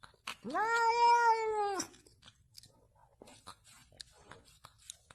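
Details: Single long domestic cat meow, about one and a half seconds, rising at the start, holding steady, then dropping off, followed by soft clicks and faint background noise.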